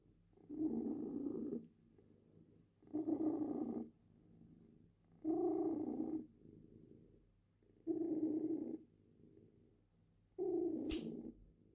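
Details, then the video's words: Female cat purring during a claw trim: five steady, rhythmic rumbling purr phrases roughly every two and a half seconds, with one sharp clipper snip near the end. "Cat purrs while having her claws trimmed"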